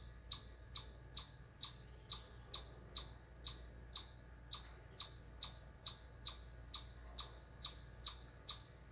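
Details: A chipmunk on a corner of a deck at camp chirps nonstop, apparently unthreatened even when yelled at, giving sharp, high chips about two every second in a long unbroken series.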